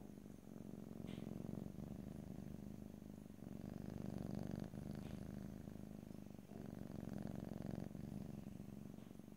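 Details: Close stereo recording of a house cat purring, a dense low throbbing rumble continuing through each breath, broken by a few short pauses and a faint brief tick.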